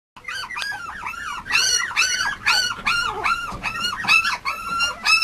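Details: Male Mame Shiba puppy at a breeder, whimpering in a steady run of high, arching whines, each bending up then down, about two per second, with bright overtones and a quiet background.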